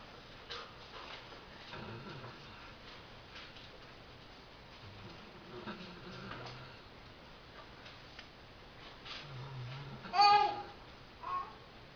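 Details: Halle, a dog worn out after a hard day of doing nothing, sleeps indoors; soft, low rumbling snores come every couple of seconds, then a brief louder, sharper burst near the end.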